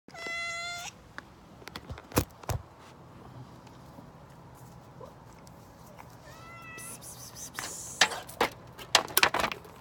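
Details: Several backyard cats at a late lunch feeding time, giving loud drawn-out meows with stacked harmonics near the start and a shorter wavering meow around six seconds, amid clattering, scraping and knocking noises that build toward the end.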